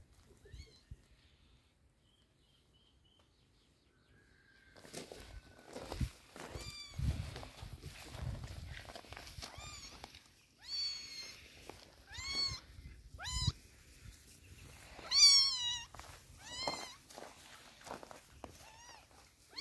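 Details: Poor kitten getting eye drops to treat its eyes: after a quiet start, high quavering meows repeat again and again, some rising and falling, amid rustling and handling sounds.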